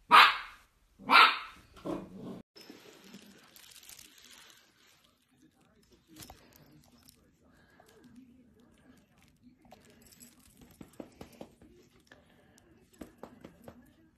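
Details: Dachshund puppy at play gives two sharp, loud barks about a second apart, followed by a softer yap, then a long quiet stretch with faint household noise and light rustling.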